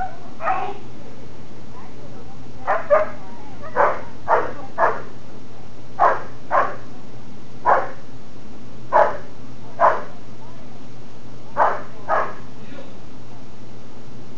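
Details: German Shepherd in Schutzhund protection phase training, barking during bark and hold work while preparing for a SchH 1 trial; sharp, loud barks come singly and in quick pairs about every second, with a low background hum.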